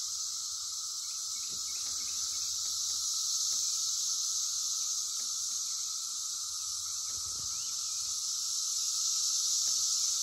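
Cicadas fill the air with a steady, high, hissing buzz that never lets up.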